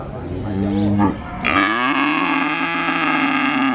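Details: Calf at the Purwokerto cattle market in Indonesia, which moos constantly while adults mostly stay quiet; a short low moo, then a long loud bawling moo held to the end.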